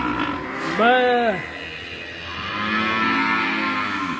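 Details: Penned young bull with a heavy neck at Duta Farm 61, Kuningan, West Java, raging, lets out one short arched moo over background music and a steady hum.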